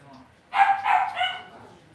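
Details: Cavalier King Charles Spaniel puppy in an indoor home pen lets out a single loud, drawn-out whining yelp, breaking into two pulses then sliding into a steadier nasal tone, about one second long.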